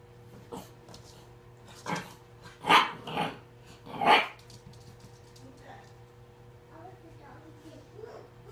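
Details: Three Shar Pei puppies playing and ganging up on one another; a few short, rough barks and growls come in quick bursts around the middle, then softer scuffling noises over a steady low hum.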